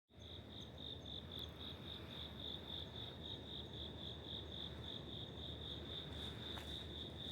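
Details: Cricket living in an apartment building corridor in Wada 1-chome, Suginami, Tokyo, in autumn, October 2025: a steady, high, clear chirp pulsed about four times per second without a break, over a low background hum.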